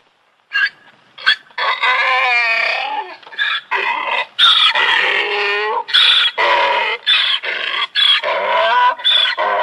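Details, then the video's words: Braying donkey: a continuous series of harsh, harmonic see-sawing notes with wavering pitch, loud throughout with only brief breaks. "donkey sound||funny donkey sound"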